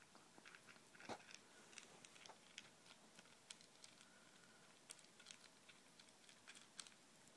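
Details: Izzy the ferret eats from a bowl of ZuPreem kibble, FerretVite and chicken jerky indoors in a small room. Crisp, irregular crunching bites and sharp clicking chews, with one louder snap early on.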